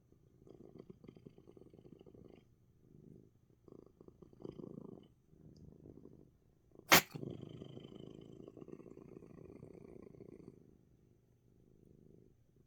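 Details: Pet cat Coco, sneezing yet relaxed, purring in short rough bouts separated by brief pauses; one loud sneeze cuts in near seven seconds, followed by a longer fuller purr.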